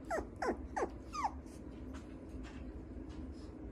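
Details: Maltipoo puppy offered for sale, giving four quick high whimpering yelps with falling pitch in under 1.5 seconds, then quiet indoor room tone with faint breathing.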